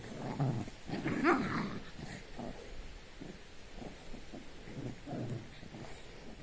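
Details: Shih Tzu dogs at evening playtime, low growling grumbles in short bursts, louder in the first two seconds then softer, repeating roughly once a second.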